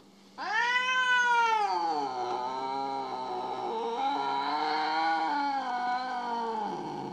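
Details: A jealous house cat named Mo, upset with its owner over a little kitty, lets out a long drawn-out yowl lasting about six seconds, starting sharply high and then wavering slowly in pitch at steady loudness.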